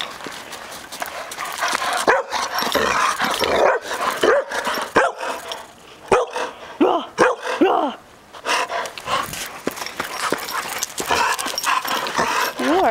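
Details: A puppy, Mischief, playing in the snow, giving short high yips and brief whiny squeaks scattered among sharp crunching and thumping noises, while a person talks to it now and then.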